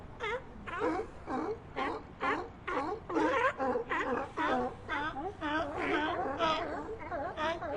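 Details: A colony of sea lions calling together, many overlapping hoarse, wavering bark-like cries rising and falling, about two per second in dense ragged bursts with no other sounds.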